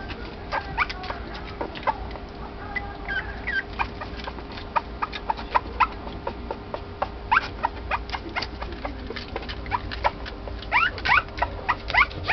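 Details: A corgi puppy whimpers and squeaks in short, high, repeated bursts while drinking its second round of milk, calling as it feeds, with a steady low hum behind.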